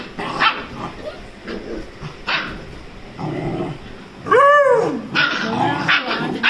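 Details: Bond, a Rajapalayam puppy 35 days old, tussling with Dora the Labrador: scattered soft grumbles and short barks, then a sharp high arching yelp midway, followed by more rapid yappy barks and growls.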